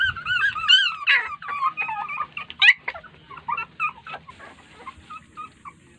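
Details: Several puppies cry together as their mother dog ignores them, possibly too tired to feed. Overlapping high squeals and yelps come densely at first, then thin out into shorter, quieter cries.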